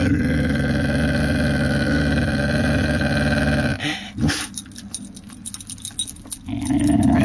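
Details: Sustained low growling from a female whippet for about four seconds, harsh and buzzing, then giving way to light rattling and tapping sounds before a last burst of growl at the end.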